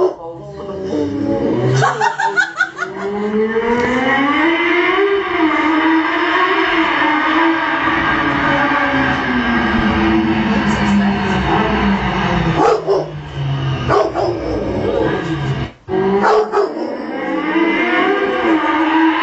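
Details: Female Rottweiler howls at the sound of a motorbike, a drawn-out wavering wail that rises and sags over many seconds, with short breaks and clicks, over steady engine drone, music and a little laughter.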